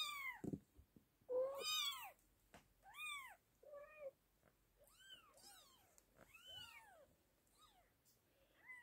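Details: British Shorthair kittens meowing indoors: a run of high, arched meows that rise then fall, some thin and squeaky, several overlapping callers crying in quick succession with short quiet gaps between them.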